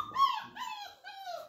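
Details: Flat-Coated Retriever puppy at 34 days old, being introduced to a clicker: two or three drawn-out whines, the first rising then sliding downward, the last a long falling whimper in a quiet room.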